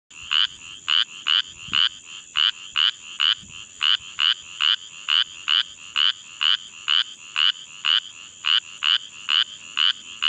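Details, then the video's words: Spotted chorus frog calling from under flooded grass along a roadside ditch in Caldwell County, Texas: steady series of short rasping trills repeated about twice per second, with a constant high insect-like whine behind. "Pseudacris clarkii calling"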